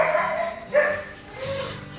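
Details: A female Australian Shepherd gives a few sharp, bright barks indoors, excited and vocal because it is time to go outside.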